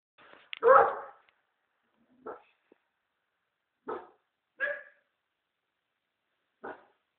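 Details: American Staffordshire Terrier guarding the house, giving one loud harsh bark followed by four shorter, softer barks spaced about one to two seconds apart, with silence between.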